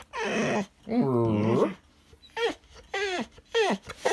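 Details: Alapaha Blue Blood Bulldog, a pet, trying to talk to its owner indoors: a series of wavering, moaning, whiny yowls, one long low grumbling groan in the middle, then three shorter rising-and-falling howly calls.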